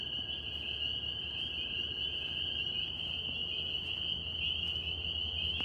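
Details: Many northern spring peepers calling together in New York, their shrill peeps blending into one sustained high ringing tone over a low background rumble.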